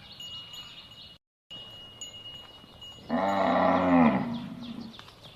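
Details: One drawn-out cow moo, for use in finding a lost calf, begins after a quiet stretch with a brief dropout and swells into a strong harmonic bellow lasting about two seconds, with faint chimes beforehand.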